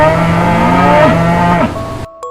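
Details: Cow lowing: a loud, deep, drawn-out moo held for about two seconds with a rich, buzzy tone, ending in a slight downward slide, with music audible at the end.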